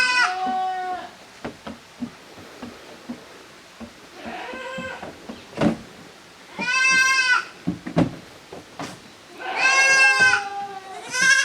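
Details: Young goats from two litters playing together in a farm exercise yard, 13 June 2023; strong wavering bleats come every few seconds, one long and trembling, with scattered clicks and thumps from the animals moving about.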